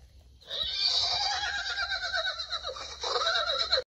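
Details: Horse described as crying and hurt, giving one long, strained, shrill whinny lasting over three seconds with dense upper harmonics and a wavering, slightly pulsing tone that swells again near the end.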